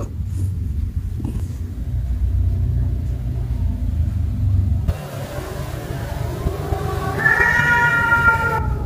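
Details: Cat and kitten play with baskets indoors; after a quiet stretch broken by a sudden shift in background noise, a drawn-out, level meow sounds near the end over a steady low hum.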